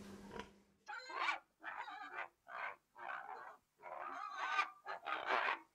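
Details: Pig letting out a series of harsh, noisy squeals, about six bursts each lasting roughly half a second with brief silent gaps, preceded by a short grunt.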